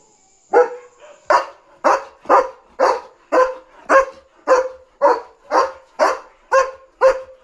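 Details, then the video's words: German Shepherd on night guard duty, excitedly barking nonstop because a dog is outside: a rapid run of about thirteen loud harsh barks, roughly two per second, evenly spaced after a brief quiet start. "Night Security Duty | Barking German Shepherd on Alert!"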